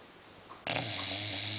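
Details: English Bulldog, female, asleep: after a brief hush, a sudden sustained low droning snore with a rough, buzzy rattle carries to the end.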